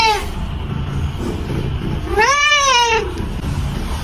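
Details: A pet cat lets out one clear, arched meow that rises and then falls, lasting nearly a second, against low background noise.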